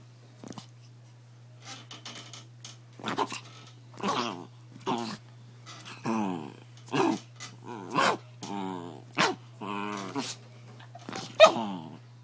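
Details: Pet dog growling indoors in a small room while its owner messes with it: about a dozen short, rough, grumbling bursts, getting stronger and closer together, over a constant low electrical hum.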